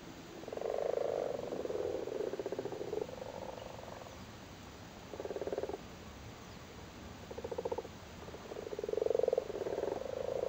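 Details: Irish frogs, big male frogs sitting on spawn in a flooded cattle grid in Cork, Ireland, during spawning season; low purring croaks in pulsed bursts of about a second, several callers overlapping, quiet gaps between.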